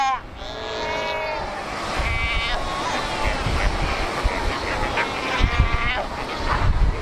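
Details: Cape fur seals at Cape Cross along the Skeleton Coast, where over 100,000 gather on ocean rocks; several bleating, harmonic calls overlap at first, then a steady low roar of surf or wind grows beneath fainter calls.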